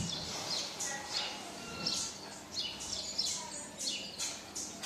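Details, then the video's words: Baby marmoset crying for its mother: a steady run of thin, very high-pitched squeaks, each sliding downward, coming roughly one and a half times per second with slight background hiss. "Baby marmoset cries for mum!"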